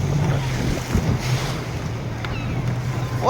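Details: Boat engine hum with wind and waves on the sea off Magadan, a brief voice, no animal call heard.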